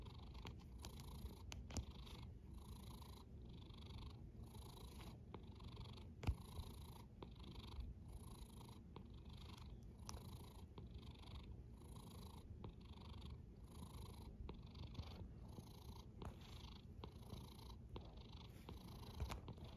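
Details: Sleeping cat snoring: continuous deep rumble with airy hissing pulses on each breath, about every 0.7 seconds, keeping an even, unbroken rhythm across twenty seconds, with occasional tiny ticks.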